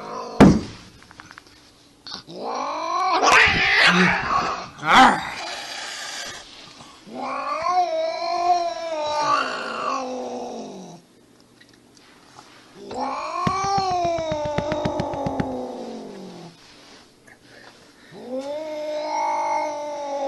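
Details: Domestic cats fighting: a series of long, arching yowls separated by pauses, with harsh hissing, spitting bursts early on and rapid scuffling clicks under one of the later wails.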